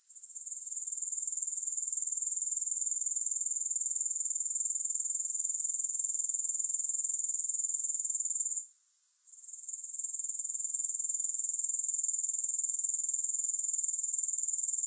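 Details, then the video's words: Continuous shrill chirring of grasshoppers, played without music, pulsing rapidly at a very high pitch; the sound fades in at the start and briefly drops out near the middle before resuming unchanged. "3 Hours of Grass Hopper Sounds"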